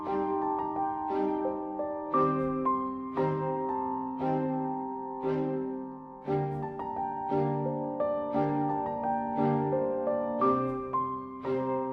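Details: Gentle piano music plays alone, slow repeated chords and a soft melody, no animal voice heard.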